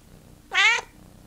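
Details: Pet cat Teddy "talking": a single short, clear meow of about a third of a second, rich in harmonics and slightly arched in pitch, rising then falling, in a quiet room between a person's chatty questions.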